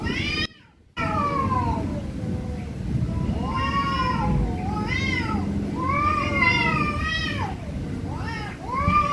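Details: Angry cats meowing very loudly: a string of long, wavering, harmonic-rich meows that rise and fall, some overlapping, with a short silent break near the start and low rumbling background noise.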